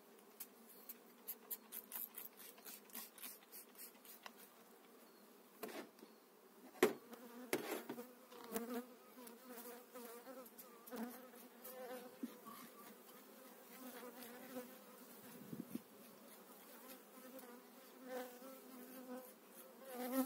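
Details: Honey bees during a spring 2018 transfer of eight frames into a new hive, with brood and pollen on the frames: a steady low hum with harmonic bands, broken by frequent clicks and knocks from handling the frames.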